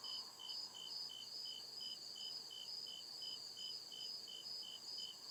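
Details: Crickets at night in the deep woods, steady high chirps repeated about three times a second, with a second, shriller pulsing trill layered above and a faint lower hum underneath.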